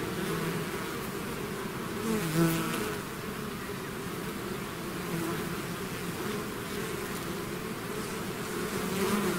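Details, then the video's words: Swarming bees streaming out of the hive create an unbroken, rough humming roar, a louder close fly-by just after two seconds, then steady massed buzzing to the end. "bees therapy swarm natural buzzing sound"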